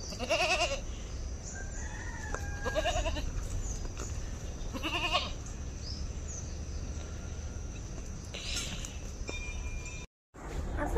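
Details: Goat being milked on a farm, its attention on the camera while the milk spills; three quavering, wavering bleats near the start, middle and five-second mark over a steady low background hum, with faint thin whistled tones in between.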